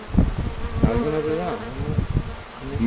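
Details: Honey bees tested with strong neodymium magnets to check whether the magnetic field affects them; close wavering buzzing hum rising and falling as bees fly past, with people talking in Bulgarian nearby.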